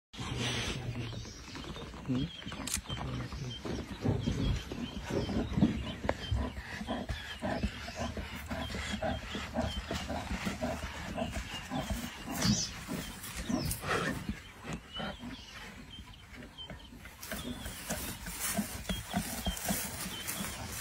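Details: Lions of the Nkuhuma pride feeding on a buffalo carcass in Sabi Sands, 24 December 2023; low, rumbling growls and snarls run throughout, with sharp crunching and tearing noises above them.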